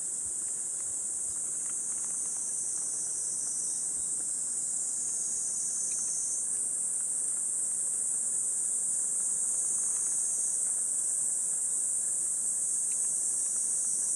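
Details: Continuous high, sizzling cicada chorus heard from a woodland path in Gifu Prefecture Hyakunen Park, Japan, mid-morning on 23 July 2026 at 37°C; the whine stays steady for the whole stretch, with only a few soft ticks beneath.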